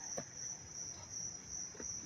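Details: A dense chorus of crickets in Dobbs Ferry, NY, on 19 August 2025, a dry, warm, sunny day, gives a very loud, continuous, shrill trill with a fast, even pulse. Possibly cicadas. Soft low thumps sit underneath.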